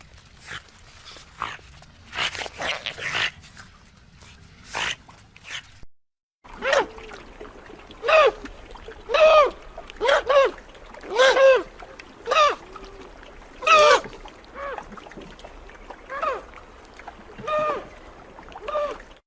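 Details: After a stretch of scattered clicks and splashy noise, otters give clear, high, slightly bent chirps, repeated about once a second with irregular spacing.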